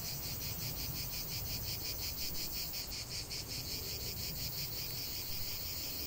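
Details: Cicadas singing in nature, a buzzy high-pitched chorus with quick regular pulses, continuous over a few seconds, with low rumbling noise underneath.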